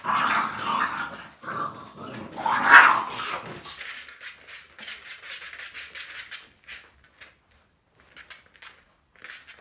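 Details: Rough, noisy growls and a sharp bark-like burst from an American Bully puppy born 25 December 2018, fading after a few seconds into faint scattered clicks and light rustling.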